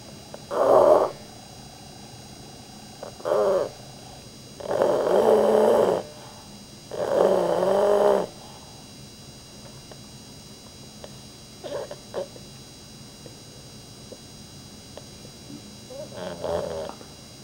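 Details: Sleeping pet dog snoring loudly indoors while twitching hard: four strong, rasping, drawn-out snores in the first eight seconds, growing longer and louder, then a quiet stretch broken by a few faint, short snorts near the end.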